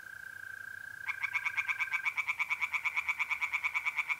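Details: Tree frogs singing in a pond on a mid-April night in North-East Italy: a steady mole cricket trill opens, then a rapid, regular series of harsh pulsed croaks starts after about one second and runs on.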